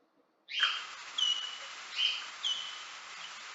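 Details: Bat echolocation calls recorded inside a wind turbine tower and slowed sixteen times, heard as a series of chirping 'chi' notes made while capturing prey.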